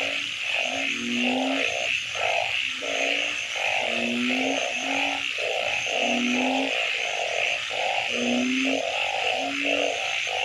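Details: Frogs calling at night: loud, mid-pitched croaks pulse in quick regular bursts, about two per second, over a steady high trilling chorus, with lower rising grunts repeating every couple of seconds.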